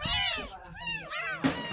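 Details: A 10-day-old rescued kitten at its first bath gives a drawn-out, wavering high mew followed by two shorter cries, over a murmur of speech and splashing.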